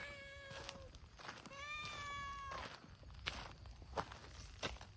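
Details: Abandoned community cats at a boisterous gathering, Hime's brown-tabby-and-white team: two close, clear meows, the second longer and gliding, followed by clicks, taps and rustling steps outdoors.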